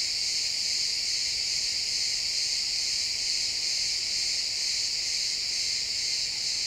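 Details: Pine forest at sunset with crickets chirping, stereo XY recording; many insects blend into one unbroken high-pitched ringing trill with fast, even pulses and no breaks, nothing else clearly audible.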